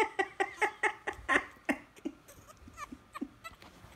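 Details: French Bulldog puppy yelling to be held: a rapid run of high, harmonic yelps, about five per second, loudest over the first second and a half, then trailing into softer, scattered squeaky whines.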